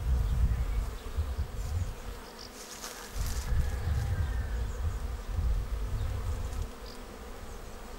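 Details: Many honeybees of a swarm entering a swarm trap, 19 May; a continuous low buzzing drone with pulsing swells, plus brief higher bird chirps overhead.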